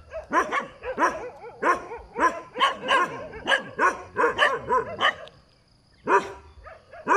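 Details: Dog barking beside a road, a steady stream of short sharp barks about two to three per second for five seconds, a brief pause, then two more barks.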